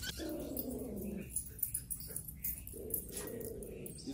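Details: Chihuahua, one of three tiny dogs on a hiking trip, giving two sustained, low, harmonic growl-like tones of about a second each, separated by a quiet gap, with faint rustling in the background.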